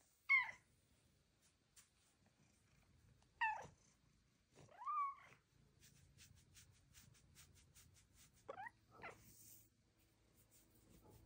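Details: Chatty female house cat answering her owner indoors, giving four brief chirps and trilled meows spread across eleven seconds; each call sweeps steeply downward, and one rises then falls, with soft rustling between calls.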